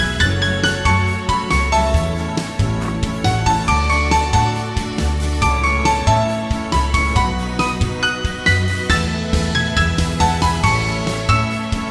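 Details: Bright instrumental music with jingling bell tones and a steady bass beat plays throughout; no animal voice is heard.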